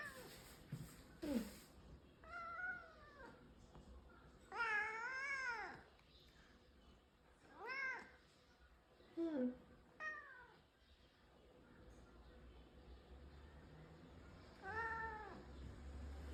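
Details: Indoors, a brown tabby house cat gives a series of about six meows, some long and arching, others short and chirpy, spaced a couple of seconds apart in a quiet room.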